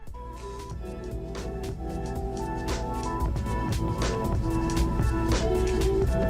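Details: Upbeat electronic music with a fast, steady beat and sustained melody notes that grow slightly louder.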